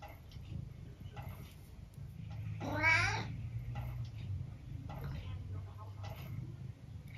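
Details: Twelve-year-old tabby cat in the UK, indoors after watching little birds at a window, gives one drawn-out meow that rises then falls, over a low steady hum, with a person speaking softly nearby.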